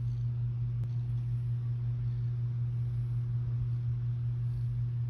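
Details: A steady low engine-like hum with a faint tick near the start fills the recording, and no animal voice is heard.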